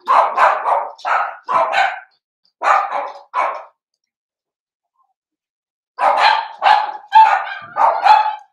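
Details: Blenheim Cavalier King Charles Spaniel puppies, seven weeks old, in an indoor puppy pen with their litter of five: rapid bursts of high, yappy barks in two volleys separated by a few seconds of silence.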